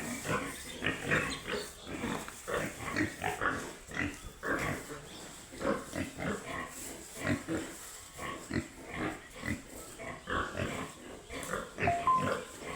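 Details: Piglets on a pig farm producing steady rhythmic grunting, short pulses repeated about twice a second over nearly thirteen seconds, with a faint high squeak near the end.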